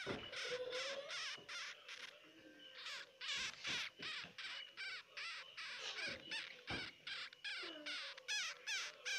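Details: Baby hamsters crying, giving rapid runs of short, shrill, broadband squeaks at roughly two to three per second. Some squeaks carry harmonic, wavering tones, with brief gaps between the bursts.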